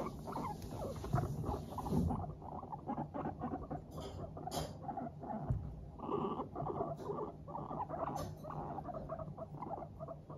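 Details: Several pet Teddy and Abyssinian guinea pigs in a cheerful mood chatter while trotting about, giving rapid soft 'pupupu' pulses in quick runs, with a low steady hum beneath and a few brighter clicks around four and eight seconds.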